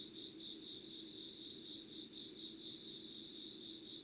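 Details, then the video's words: Summer dawn insect voices, 25 August 2019, 5:00 unedited recording: pulsing trill swelling and fading in quick beats, paired with a steady high-pitched whine and a quiet low drone. "Sounds of insects with candle light.☆ろうそくの灯りと虫の声"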